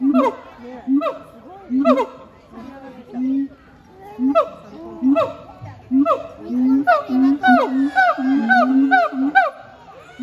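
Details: Siamang duet by Heart and Brave, Chiba Zoological Park, 12 November 2022: booming low hoots alternate with rising barks, the rhythm tightening into rapid, regular barking near the end, roughly once per second at first.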